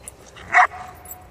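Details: A single abrupt, clipped bark from an eight-month-old female German Shepherd being trained in obedience near Charlottesville, Virginia, set against a quiet indoor background, with the trainer giving praise and commands around it.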